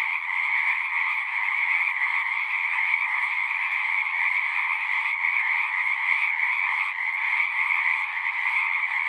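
A dense frog chorus, a steady wall of trilling croaks that never pauses.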